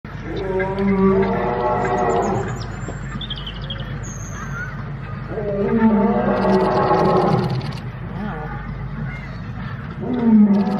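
A lion gives deep, drawn-out moaning roars, each lasting about two seconds, repeated every few seconds.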